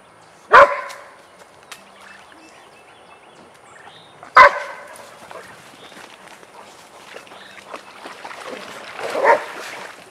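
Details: Vizsla dogs Biscuit and Jericho during a playtime session in their den: three single sharp barks spaced a few seconds apart, with quieter rustling and movement between them.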